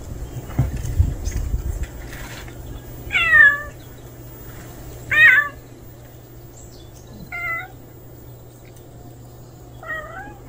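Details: A strange male cat that has just shown up meows four times at intervals of two to three seconds. The first two calls are short and wavering, and the later ones are softer, falling mews. A brief rustle opens the recording over a low steady hum.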